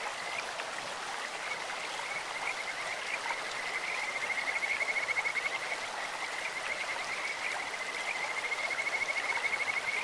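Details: Kajika frogs in a clear-running stream: overlapping high trills of quick pulses repeat almost continuously, thin and birdlike, with a constant rushing of water beneath.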